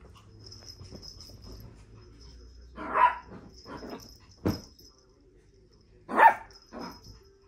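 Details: Indoor Shih Tzu during a lively afternoon in May 2023: two loud, abrupt barks about three seconds apart, with quieter muffled sounds and a person's voice in Spanish around them.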